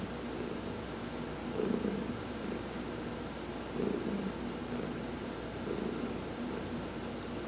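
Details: Pet cat named Heidi, massaged while lying in the sun on November 19, 2020, keeps up an even, low purring rumble that surges about every two seconds, each surge carrying a light breathy hiss.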